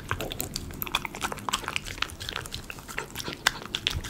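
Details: Miniature Schnauzer chewing premium chicken pot pie dog food, recorded for ASMR: bright, crisp crunches and moist clicks in quick succession, and a sharp bite standing out after three seconds.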